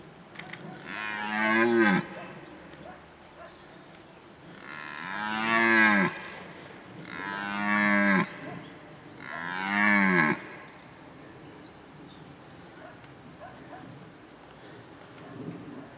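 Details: Red deer bellowing during the breeding season, recorded in 2019: four loud, hoarse, harmonic roars of about two seconds each, each rising then falling, spaced by short pauses, with quiet background between calls.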